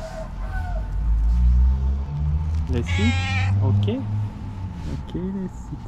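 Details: Friendly female tailless tuxedo cat greeting her person on sight with a loud, clear meow, then a few short chirping squeaks, against a heavy low rumble in the background.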